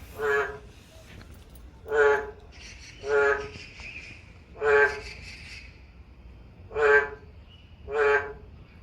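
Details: In summer, a boreal digging frog, a rare endangered species, calls from a manhole under a parked car in Yangju, Gyeonggi-do, giving loud, nasal, honking calls repeated about every second or two.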